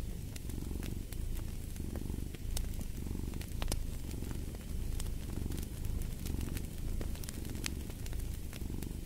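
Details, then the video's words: Cat purring in a throbbing low rumble, each in-and-out breath forming a swell about every second, accompanied by steady pops and crackles of a burning fireplace. "Fall asleep to the Purring of a Cat"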